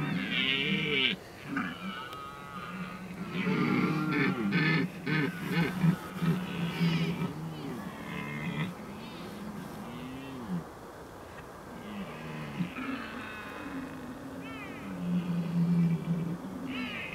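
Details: Red deer during the rut at the Oostvaardersplassen on 15 October 2011: low, arching groaned roars repeat through the recording, with higher chattering calls of other animals above and steady background rumble.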